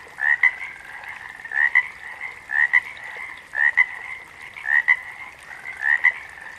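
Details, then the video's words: Repeated frog calls: each a rising chirp joined to a short sharp pip, coming about every second, with a quiet background chorus throughout. "Frogs - Nature Sounds"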